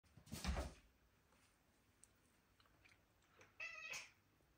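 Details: British Shorthair cat, born May 2023, playing indoors while chasing a laser point; a loud thump early on, then near the end one short, bright harmonic meow lasting about half a second in a quiet room.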